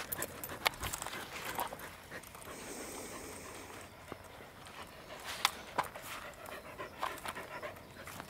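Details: Corgi named Roku breathing hard on a walk, 1 November 2021, ginkgo leaves beginning to yellow; short rasping pants repeat through the clip alongside occasional taps and a brief higher hiss.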